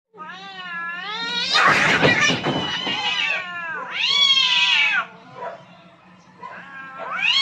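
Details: Two aggressive cats fighting for dominance on a rooftop: long wavering yowls rising and falling, a harsh burst of spitting screech near two seconds, then another high drawn-out wail and a rising howl at the end.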